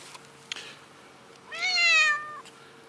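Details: A friendly kitty being spoken to gives one clear, drawn-out meow lasting nearly a second, rich and harmonic with a slight falling tail, in a quiet setting after a few soft clicks.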